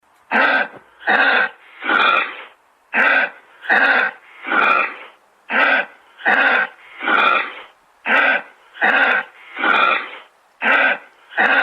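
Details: Kangaroo giving a long series of about fourteen harsh, raspy, cough-like bursts in quick succession, roughly one per second. Short bursts alternate with slightly longer breathy ones, and the background is quiet.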